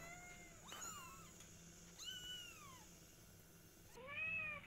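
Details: Domestic cats, a mother cat named Silky and her kittens indoors: three high, thin meows with arching harmonics, the last one loudest, over a faint steady hum.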